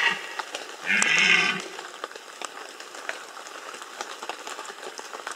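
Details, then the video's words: Bieszczady, 2015, red deer rut: one brief rough roar with layered harmonics bursts out early, lasting well under a second, against a constant backdrop of pattering rain-like noise. "Rykowisko 2015 Bieszczady - Red Deer rut"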